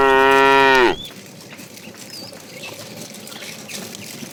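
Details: A tame cow moos once while the herd is driven toward green pasture in the morning. The moo is rich and steady for about a second, then the call stops and faint morning birdsong and rustling remain.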